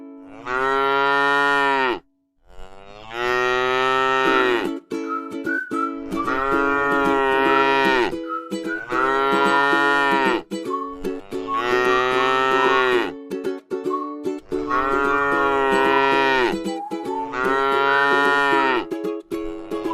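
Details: Resting in a rice field, a tame cow lows again and again. Seven or eight long, rich moos come about every two and a half seconds, each falling slightly at the end. Steady musical tones accompany them.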